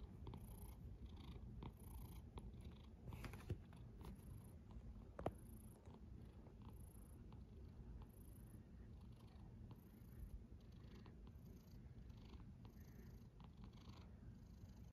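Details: Sleeping pet cat snoring, a continuous low rumble with soft breathy pulses recurring roughly every second, quiet indoor setting.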